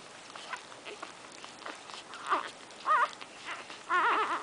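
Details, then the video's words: One-week-old Shorkie Tzu puppies nursing, giving wavering, squeaky whimpers: a brief squeal midway, then two louder rising-and-falling cries near the end, with faint suckling and smacking noises between. "Shorkie Tzu Puppies~1 Week Old Nursing"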